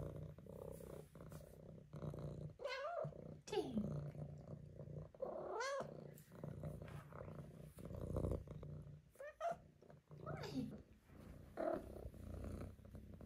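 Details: Five-month-old female Maine Coon kitten indoors, giving a run of short meows and chirping trills, each a quick rising-then-falling arc, spaced a second or two apart over a steady low rumbling purr and faint room hum.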